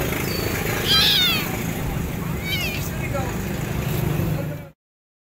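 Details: A rescued stray kitten, starving, with burnt fur and a wounded mouth: two short, high-pitched meows about a second and a half apart, set against a constant low mechanical hum and traffic sounds.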